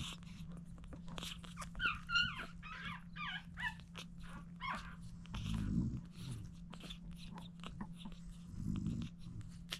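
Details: Dooney, a French Bulldog mother, feeds her seven puppies indoors; high, whistled whimpers and squeaks with curving pitch come in a quick cluster early on, over a steady low hum with clicking and slurping feeding noises.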